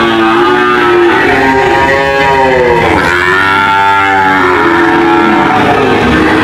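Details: Cattle mooing in overlapping layers: several drawn-out, richly harmonic moos that swell and bend downward, with one deep call sagging near the middle, all heard over a dense, loud background.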